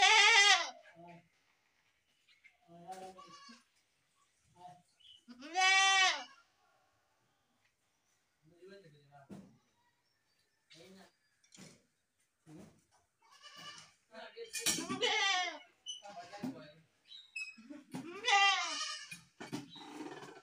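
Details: Goats, possibly baby goats, give loud, wavering bleats, with quieter voices and bleats in between.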